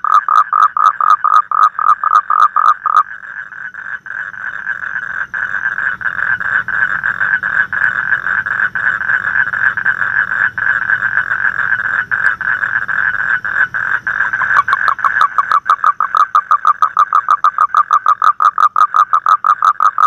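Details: Frog. A frog gives a steady, mid-pitched pulsed call, fast repeated notes that merge into a long buzzy trill. The pulses separate again toward the end, sounding like a quick rattling series.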